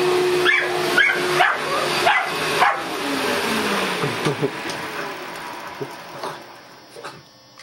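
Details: A male Boston Terrier gives sharp, repeated barks at a droning vacuum cleaner, confronting it while his sister cheers him on.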